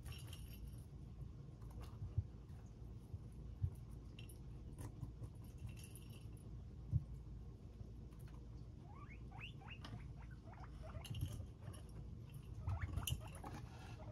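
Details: Pet guinea pigs filmed in real time while eating: a quick run of short, rising squeaks midway through, over steady chewing and rustling patter and a low background hum.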